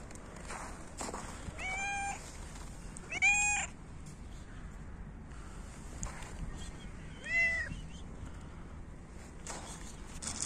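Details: Hungry cats in winter meowing while competing for food: three short, insistent meows a few seconds apart, each rising then falling, with a person's brief speech before and rustling throughout.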